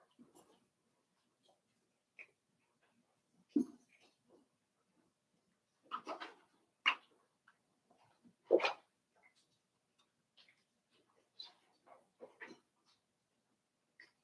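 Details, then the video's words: Cavalier King Charles Spaniel puppies, five weeks old, in Daisy's indoor puppy pen, let out scattered whimpers and high yips, with a burst of three louder squeals in the middle and quieter whines between them. "Cavalier King Charles Spaniel Puppies Livestream"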